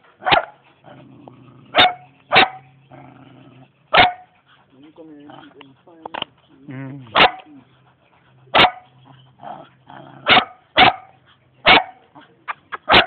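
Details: Young German Shepherd dog in Jamaica giving sharp single barks spaced about one to two seconds apart, with a stretch of whining, wavering vocal sounds and a low steady hum between barks.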